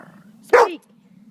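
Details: Dog giving a single short, sharp bark on the command "speak", which is repeated several times just before; the bark is loud and abrupt, lasting under half a second, with quiet background otherwise.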